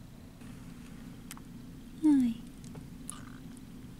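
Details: Tiny bottle-fed foster kitten, about ten days old on arrival, indoors: one short descending mew lasting a fraction of a second midway, over a steady low hum, with a few faint clicks.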